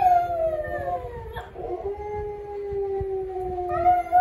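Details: A pet dog gives a sustained howl, a smooth tone sagging downward, breaking briefly, then holding level and lifting again at the end, over a low background hum.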